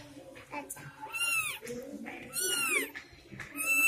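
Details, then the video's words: Three newborn kittens crying at home: a series of high, drawn-out mews that rise then fall, three or four cries in under four seconds, with faint music and a quiet voice behind them. "Cute kittens crying बिल्ली के छोटे बच्चे की सुंदर आवाज"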